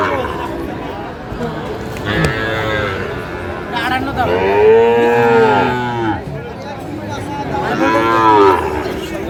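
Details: Sahiwal cattle at a busy cattle market in Comilla, Bangladesh, on 11 February 2025, where a Sahiwal breed bull was being sold. A long, drawn-out harmonic moo of about a second and a half is followed by a shorter moo near the end, over a steady market murmur.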